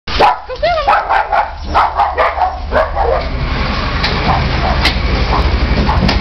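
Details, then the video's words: Chihuahua mix dog challenging the trash truck, as it does every week: quick series of sharp, high yapping barks with rising and falling yips over the first three seconds, then loud rumbling truck engine noise takes over. "Chihuahua mix challenges the trash truck"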